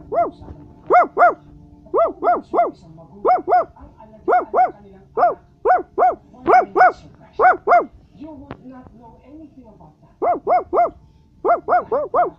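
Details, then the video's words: {'caption': 'Repeated Basset Hound barks, mostly in pairs and triplets, tonal and ringing, continue steadily throughout, with a brief soft whine-like pause near the end.'} "Basset Hound is Barking"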